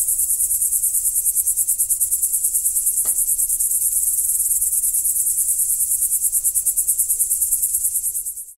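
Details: Night crickets keep up a steady high, pulsing trill of fast even beats throughout, broken only by one brief click partway, before the sound cuts off abruptly at the end.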